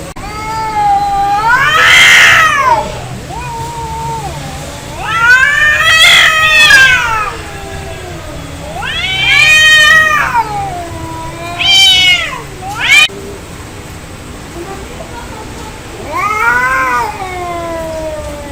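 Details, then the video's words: Cats fighting angrily: a string of loud caterwauls, rising and falling wails about every four seconds, with a harsh hissing burst near the start and sudden short screeches around twelve seconds. "Angry Cat Fight Cats Sound Effect Real fight Of cats Audio"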